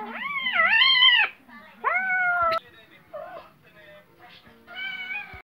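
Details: Playing cat and kitten: a long, wavering meow dipping in the middle and rising again, then a shorter flat meow, a brief faint mew, and a final drawn-out meow after a pause.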